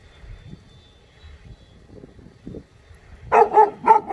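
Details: A Jindo dog, cousin of the dog Song Baek-gu, lets out a burst of about four rapid barks after a few seconds of soft background noise and faint low sounds.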